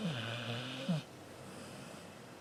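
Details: A cat named Xiaoxiao snoring in its sleep indoors: low, rasping, harmonic breaths about one second long, with a raspy catch at the end of each, then quiet room hum.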